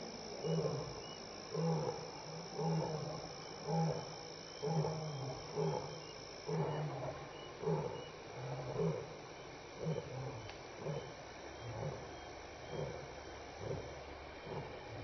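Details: Loud lion roar sequence at Elephant Plains Game Lodge, South Africa, 6 to 7 PM on May 26, 2011, during contact calling and return calls: a steady train of deep, throaty grunts about once a second, fading toward the end above a high insect whine.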